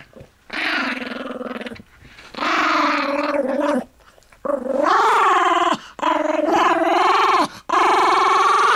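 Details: Pet Toy Fox Terrier indoors growling at a person talking about its bone: four long, rough, rumbling growls with a steady buzzing pulse, each lasting one to one and a half seconds, separated by short pauses.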